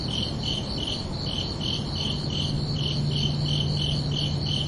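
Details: Summer-night cricket chorus: bright rhythmic chirps repeating quickly and evenly, close to four per second, while a low steady tone enters during the second half.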